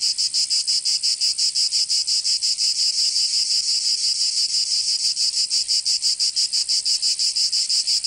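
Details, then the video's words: Cicadas singing in summer in Provence, southern France: a continuous high buzzing drone, pulsing rapidly about three times per second at a steady rhythm, with no other sounds audible. "Canto Cigarra 🦗 [ Escuchar les cigarras en verano 10 H]"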